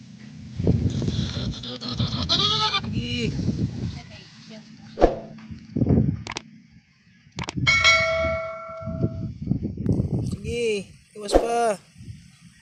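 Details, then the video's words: Newborn goat kid bleating: several arched, harmonic, wavering cries, some held about a second, repeated across the stretch. Low voices and rustling run underneath. "Bagong Panganak na Kambing"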